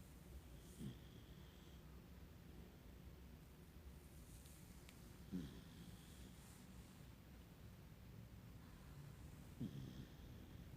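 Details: Sleeping puppy snoring quietly indoors, three short low snorts spaced about four seconds apart over a steady low hum, each rising and falling in pitch with faint higher breathy hiss.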